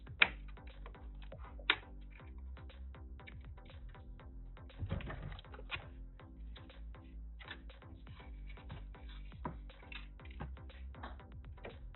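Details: Quiet electronic music mixes with clicking, typing-like taps and a few sharp knocks, with no animal voice heard.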